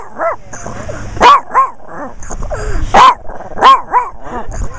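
A Chihuahua gives sharp, high yaps between thin whining, rising-and-falling whimpers.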